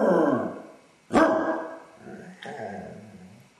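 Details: A Basset Hound with separation anxiety, left alone in the house while its owners are out, gives three loud, deep baying howls, each sliding downward in pitch and fading quickly; during that hour it also paced, whined and barked.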